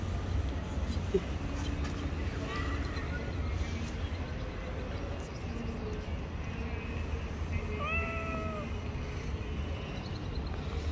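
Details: Hungry stray cats living on the street, coming to a familiar voice, give a few drawn-out rising then falling meows, the clearest near the end, over steady low traffic rumble and street noise.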